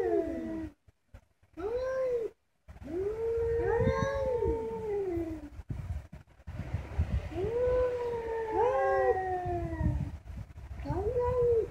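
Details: Cats talking to each other in overlapping, sliding yowls and short arched meows, the voices crossing one another, with brief silent gaps and low background rumble.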